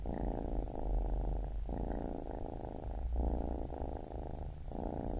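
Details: Continuous deep purr from a baby kitten, rumbling in long phrases of one to one and a half seconds separated by short pauses for breath, with nothing else audible.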